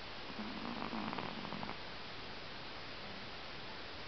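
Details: Moko, a pet Pomeranian at home, snoring while asleep: a soft, rough rumbling breath with faint tonal overtones lasting just over a second, then only steady hiss in a small room.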